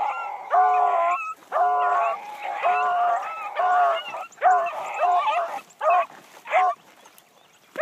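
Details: Young female hound from Blackcreek, running for the first time in the morning, giving long drawn-out bawling barks, each held about a second, spaced irregularly and growing choppier toward the end.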